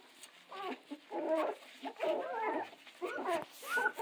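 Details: Central Asian Shepherd puppies from one litter, whimpering in a series of short, wavering, mid-pitched cries in bursts of about half a second, with brief quiet gaps between them.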